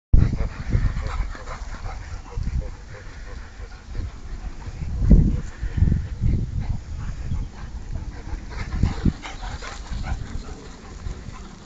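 A Rottweiler gives deep, short, throaty sounds in scattered bursts, with faint human voices behind.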